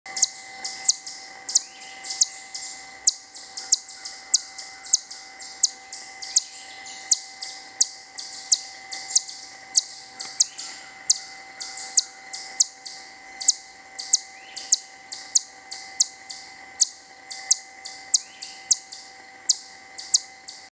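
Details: A little chipmunk at the bottom of a tree gives sharp, high chirping, barking chips, two or three a second, in a long unbroken series.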